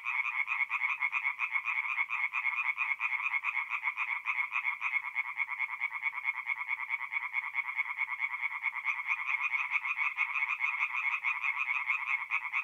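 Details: Night chorus of tree frogs at a forest pond in north-east Italy in mid-April, many callers giving fast, harsh pulsed croaks in an unbroken, rhythmic wall of sound, roughly two croaks each second.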